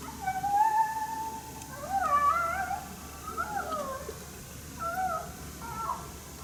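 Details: Wild coyote heard but unseen during a hunt at St-Andrews on 1 March 2019, barking at a person's presence: about five high, wavering, yelping howls with falling and rising bends, spaced one to two seconds apart, over faint steady background hiss.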